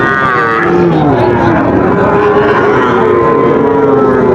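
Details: Sahiwal bull calves at a busy cattle market (haat), bought by a Dhaka farmer, Bangladesh, 15 August 2024; long, steady, drawn-out lowing tones held for several seconds beneath constant crowd chatter, voices and vehicle noise.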